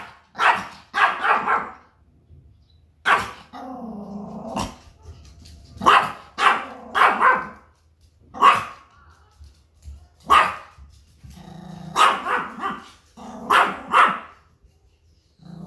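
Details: Pomeranian, a small house dog, barks loudly and ringingly at outside noises to guard its territory against strangers. Sharp barks come in quick pairs and bursts, with drawn-out whining, tonal cries between them and pauses of near silence.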